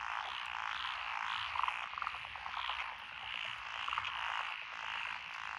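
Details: Night chorus from lotus rice paddies on a country lane in Echizen, Fukui Prefecture, Japan, recorded 12 June 2021, with five frog species. Layered, steady croaking is punctuated by quick, loud clustered croaks repeated every second or so.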